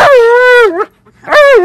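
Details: Alaskan Malamute yelling at its owner: a loud, sustained, slightly wavering howl-like moan that drops at the end, a short pause, then another loud rising-falling woo.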